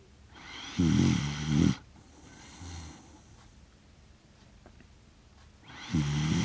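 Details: Shiba Inu, a six-year-one-month-old dog, snoring while asleep indoors in Rotterdam, Netherlands, on 30 September 2025, captured with a DJI Mic Mini: two deep, rattling, growly snore breaths, one long and one starting at the end, with quiet pauses between.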